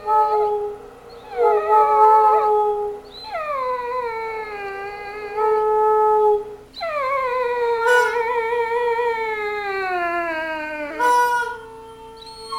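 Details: A dog talking in drawn-out howls: a series of long tonal wails, each starting higher and sliding down, some wavering, with short gaps between and a few brief sharp yips.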